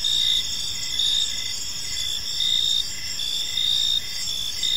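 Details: Crickets chirping in a peaceful park as evening unfolds, a dense high-pitched trilling chorus pulsing in and out roughly every second, with a fainter steady hum of insects underneath and no other clear sounds.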